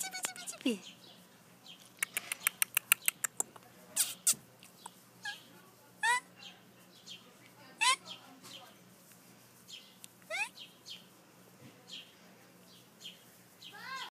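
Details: Collie puppies giving short squeaky whimpers, rising in pitch with harmonics and spaced irregularly, plus a quick run of sharp clicking pulses early on and a steady low electrical hum underneath.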